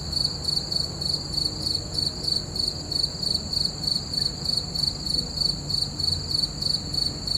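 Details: Night chorus of crickets beneath a full moon, bright rhythmic chirps pulsing roughly three times a second in an even, unbroken series, with a soft low hum underneath.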